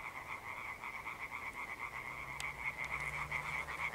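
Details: European tree frogs, rare amphibians, give an evening chorus on 1 June 2021: a dense concert of rapid, rasping, high-pitched notes.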